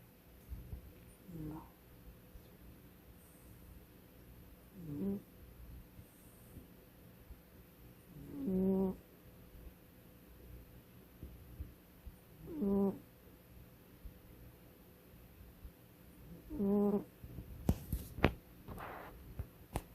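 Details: A pet cat snoring indoors: soft, low nasal snores recur about every four seconds, each a short buzzy rasp, with a faint steady hum in the room and a brief rustle near the end.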